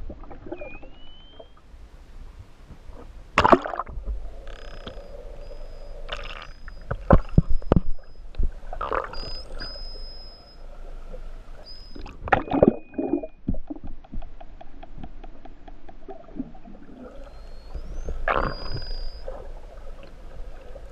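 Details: Endangered main Hawaiian island false killer whales attacking mahimahi off West O'ahu, Hawaii, recorded underwater during research. High whistles, some rising sweeps, alternate with sharp broadband click bursts and buzzes. Quieter water noise in the background.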